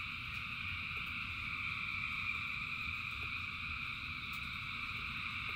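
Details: A massed frog chorus in rainy weather, thousands of animals creating a dense, ringing trill sustained throughout, layered over the low hiss and patter of rain with sporadic clicks.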